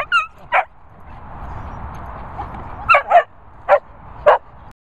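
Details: Indy, a Cocker Spaniel, startled by Marley the Golden Retriever: sharp high yelps and barks, a pair near the start, a quick double around three seconds, then two more single yelps, over a low steady rumble.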